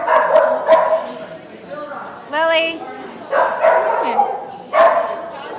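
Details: Puppy at playtime yips and barks in brief bright bursts, four or so spread over a few seconds, while a person keeps talking to it in a friendly greeting voice.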